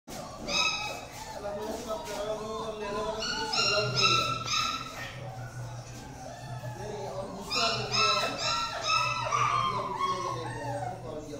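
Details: German Shepherd puppy in Lucknow giving short bursts of high, clear whining yips near the start, around four seconds and again near eight to nine seconds, over steady background murmur and voices.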